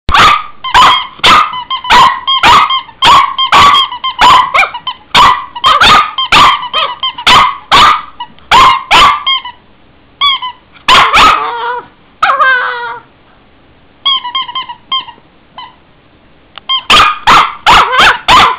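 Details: Henry, a Cavalier King Charles Spaniel, barking in sharp, rapid bursts of short yaps, with brief pauses, a few higher whining yelps in the middle, then another quick run of barks at the end.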